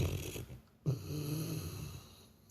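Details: Sleeping Labrador Retriever snoring much like a person: two deep, rumbling low-pitched breaths, a short one and then a longer, steadier rasp lasting over a second, with a brief quiet gap between them.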